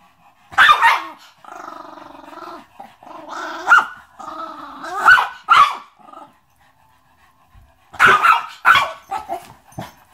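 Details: Chihuahua showing attitude, alternating sustained rough growls with sharp barks and yaps, growls buzzy and wavering, barks in short clustered bursts.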